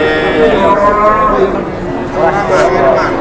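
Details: Cattle at a livestock market in Indonesia, lowing in drawn-out, harmonic moos that rise and fall over about three seconds, while people talk and bargain nearby in a busy outdoor setting.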